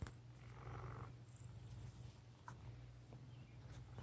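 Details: A fat male house cat snoring in his sleep: a steady, low, rumbling drone runs unbroken through the whole stretch, with a faint rustle near the start and a soft click midway.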